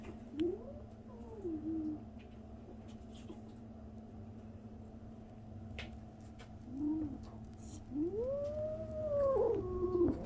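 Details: Young kitten, 37 days after birth, giving strange noises in a room: brief soft rising chirps early on, then a louder, long arched meow that bends and fades near the end, with light clicks between.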